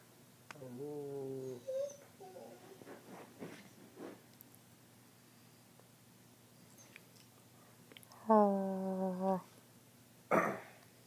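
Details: Female pet dog indoors at night during TV time, giving a few short, level harmonic whines and a brief squeak, separated by long quiet gaps with faint rustling and a low hum.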